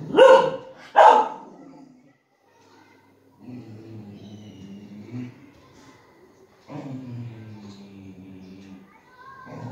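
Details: Cookie, a female Golden Retriever, reacts while watching TV with two sharp, loud barks in quick succession in the first second, then falls quiet as muffled television speech and music carry on.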